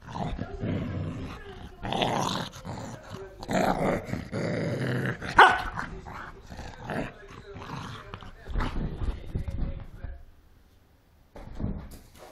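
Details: Angry Cocker Spaniel fighting, giving rough, noisy growls in bursts of one to two seconds with sharp bark-like peaks, then near silence after ten seconds; voices faint in places.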